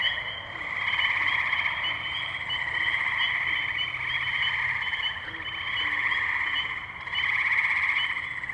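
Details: Ohio tree frogs in the Firestone Park wetlands at Columbiana, May 6, 2023, on a Zoom H2n: a continuous shimmering mass of trilled calls, pulsing louder and softer in waves, with no other clear sounds.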